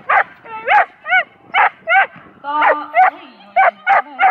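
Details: Schapendoes Aira at an agility trial in Arendal, April 2015, where she placed second in class A1: a steady run of sharp, high yappy barks, about two per second, with a faint low hum underneath.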